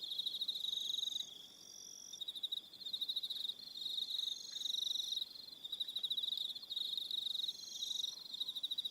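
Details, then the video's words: High, rapidly pulsed trilling from crickets in the evening on Aroha Island, New Zealand, several insects overlapping in bursts that swell and dip, with a brief quieter gap near the second mark. "1 Hour Relaxing Evening Sound of Crickets"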